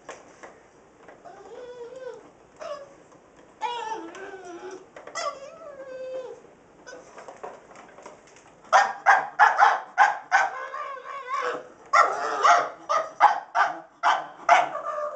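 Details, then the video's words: Pug named Rosco reacting to a sweeper with a carpet attachment that is not yet running. He starts with soft wavering whines and whimpers, then breaks into a fast series of loud, rough barks about three per second. "Rosco the pug barking at the sweeper"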